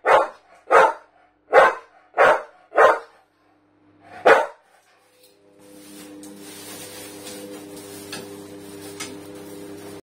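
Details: A Staffordshire bull terrier barks at a canister, giving six short, sharp barks, then a steady mechanical hum takes over.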